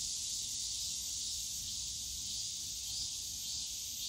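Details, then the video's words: High continuous buzzing of cicadas in the Yongsan Family Park bamboo grove on a summer day, somewhat quieter, with a gentle swell in intensity near the close and faint background park noise. "용산가족공원 대나무숲 매미소리"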